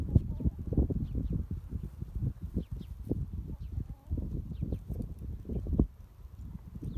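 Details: Domestic cat purring while consoling a person: a steady, deep, rumbling purr of rapid low pulses running nearly without break, with faint high bird chirps in the background.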